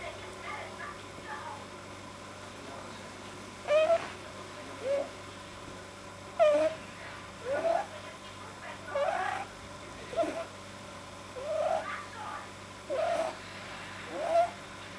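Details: Relaxed pet rabbit, vet-examined and healthy, whose too-long soft palate gives odd sounds: louder rising squeaky chirp-snorts at uneven intervals of one to two seconds, against a low steady hum.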